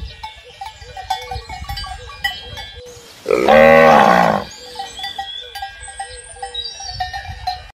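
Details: Domesticated herd of cattle: one loud, harmonic moo of about a second and a half rising out of a steady background of clanking cowbells and faint chirps.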